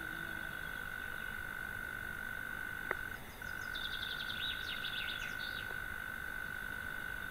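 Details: Evening song of a European mole cricket calling from its sandbank burrow beyond a pond: an unbroken, even, monotone purring trill with one brief dip, while a small bird twitters high, quick notes in the background.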